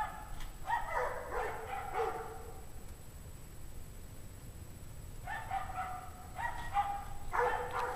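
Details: A pack of dogs barking at 5:00 PM on January 9, 2009, in 17°F cold, cause unknown. Distress is suspected. Two bouts of rapid, harsh, overlapping barks, one early and one late, with a quiet gap between and steady background hiss.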